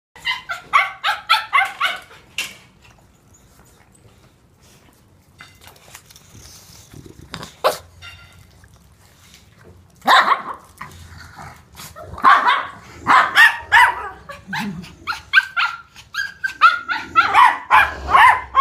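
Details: Toy Poodle named Lu at a dog daycare, home boarding alongside a shih tzu, barking indoors: quick runs of sharp, high yaps in the first seconds, a pause, then denser bursts of yapping toward the end.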